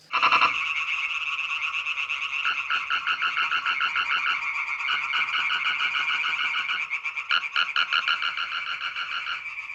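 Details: European tree frog male song played back from a computer-controlled loudspeaker in a laboratory, simulating males for a female; dense, rapid croaking pulses run continuously with several overlapping callers, briefly pausing near the seventh second.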